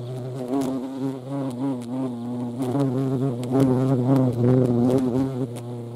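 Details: European hornet at a feeding site in the Eifel, Germany, giving a loud, steady low droning buzz with wavering pitch as its wingbeats shift, swelling and easing across the clip.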